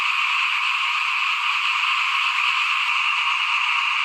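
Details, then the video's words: Steady chorus of frogs by a house at rice broadcasting time, 2021, with massed rapid calls blending into one unbroken trill, plus a faint click and low rumble near the end. "ฟินๆกับเสียงเขียดร้องหน้าบ้าน ตอนหว่านข้าวเตรียมปลูกปี2021"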